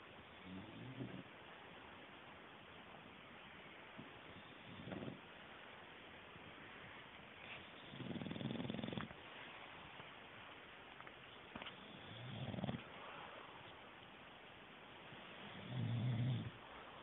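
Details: A male English bulldog, deeply asleep, snores in deep, rumbling bursts that return every few seconds.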